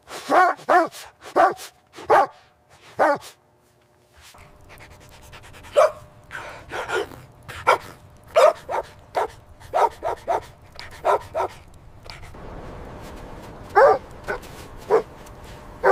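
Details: Puppies playing happily with their mother dog in fresh white snow, winter: repeated sharp barks and yips come in quick bursts throughout, with a short quiet spell and a faint background hum.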